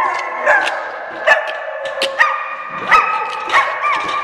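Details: Day-care dogs in Oswego, Illinois, react to a January 3, 2012 siren test with short, sharp barks and high yips repeating roughly every half second over a steady droning background tone.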